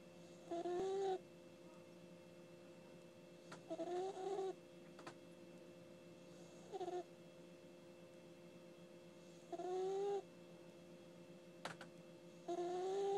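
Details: Asleep, the puppy Ginny gives five wheezy, whistling snores spaced about two to three seconds apart, each a short nasal tone with a slight upward slide, plus a couple of faint clicks and a low background hum.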